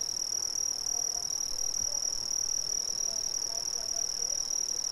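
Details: Brazilian crickets keep up a bright, constant high trill with a slight rapid pulsing texture, steady in loudness throughout, while soft low chirps flicker faintly underneath.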